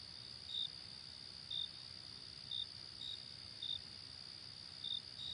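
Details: Outdoor summer night ambience of crickets: sharp, high chirps arriving about once a second, slightly uneven in timing, above a continuous piercing background trill and faint distant rumble.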